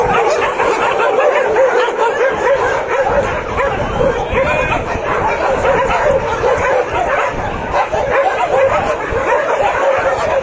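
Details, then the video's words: Many dogs at a shelter bark together to greet arriving visitors, a dense overlapping chorus of sharp barks and yips running without pause through the whole stretch, with no single voice standing clear. "روحنا ملجئ كلاب ... شوف الكلاب استقبلتنا ازاي"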